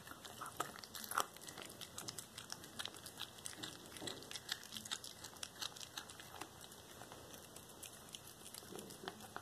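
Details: A black tabby cat called Cracker chews a whole small rat, raw prey, recorded February 13, 2022; rapid crisp crunching and gnawing clicks come in uneven clusters, with a steady thin high hum behind.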